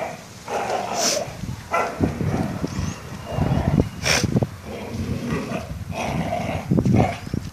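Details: Bull terrier and schnauzer mix dog playing with a tyre, giving rough, throaty play growls in uneven bursts with scuffling and rubbing noises between them.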